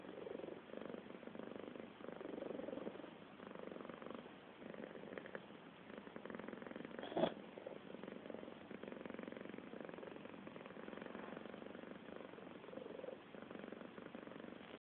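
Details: A cat purring through a long stretch, an even low throbbing rumble rising and falling with each breath, interrupted once by a sharp brief knock midway; otherwise still surroundings.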